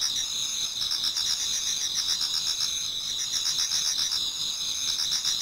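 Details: Autumn insects chorus in a Japanese garden as dawn nears, a steady shrill wall of high trills with rhythmic pulsing chirps layered over it, several singers overlapping without pause.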